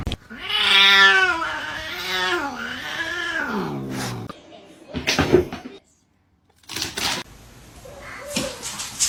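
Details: House cat from a funny pet compilation giving a long, wavering, nasal yowl that rises and falls for about four seconds, followed by bumps, rustling and faint voices.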